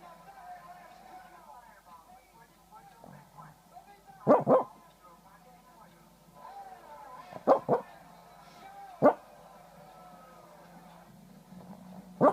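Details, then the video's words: A little male dog barks in his sleep, Feb 9, 2014: scattered muffled yips, some doubled, spaced several seconds apart, with faint murmuring tones and a low steady hum between them. "little dog barking in his sleep"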